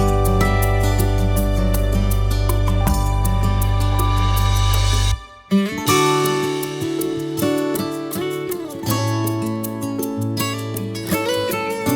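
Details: Gentle plucked acoustic guitar music plays throughout, with a brief silent gap near the middle and no animal voice.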